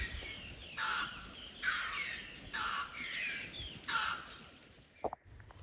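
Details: In the Kenyan bush outside a cave, rock hyraxes (Procavia capensis) give harsh, rasping shrieks in a run of bursts, alarm calls warning of a bird of prey hovering overhead.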